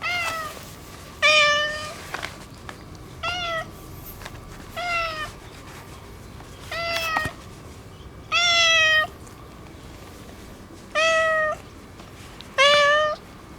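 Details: Ginger tabby boss cat that rules an area, extra affectionate after being neutered: repeated drawn-out harmonic meows, some level and some slightly falling, roughly every one to two seconds, with faint background hum.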